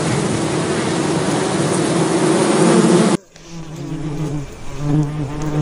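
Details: Loud, dense bee buzzing that cuts abruptly to a quieter, clearer hum with a steady low tone, which fades and returns as the insect moves.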